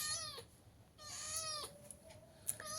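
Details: Gutun, a sweater-clad pet cat, complains with two long, slightly falling meows back to back, a click and rustle between them, in a quiet room.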